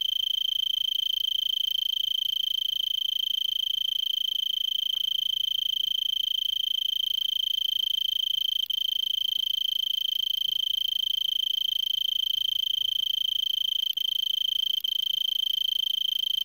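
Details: Male-style continuous trill of an Arizona tree cricket perched in brittlebush at 3300 ft elevation in Vail, Arizona, late afternoon December 26, about 70 °F, singing for an hour since before sunset; shrill, constant, finely pulsed tone, a few soft clicks.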